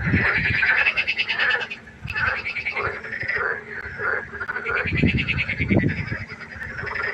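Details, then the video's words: Frogs croaking at night by a pond, a dense chorus of rasping, pulsed calls overlapping continuously, with a few low thumping bursts near the start and again around five seconds. "Froschkonzert. Frosch Geräusche quaken."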